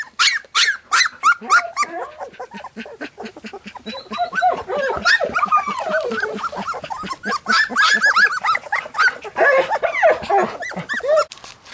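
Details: Three-week-old Golden Retriever puppies whine and squeal in a busy, overlapping chorus of high, wavering cries.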